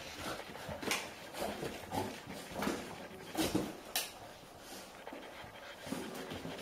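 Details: A five-year-old Golden Retriever grandmother pants in quick breathy bursts with faint whimpers while escaping her eight-week-old grandpuppies in their playpen as they follow her for milk, in October 2013, Haute-Savoie, France.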